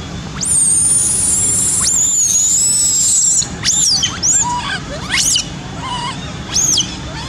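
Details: Two baby monkeys, apparently frightened, scream with wide-open mouths: a long, piercing, whistle-like shriek followed by sharp squeals that rise and fall.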